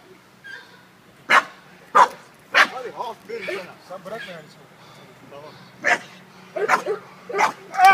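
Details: Guarding American Bulldog, Toxic, barking in short hard bursts, roughly nine in eight seconds, several in quick succession near the end, while human speech fills the pauses.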